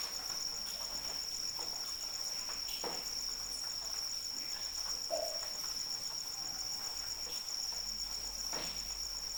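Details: Cricket chirping through gentle rain, a steady high-pitched trill running unbroken with faint pulsing beats above, while soft rain patter and scattered drips sound underneath throughout.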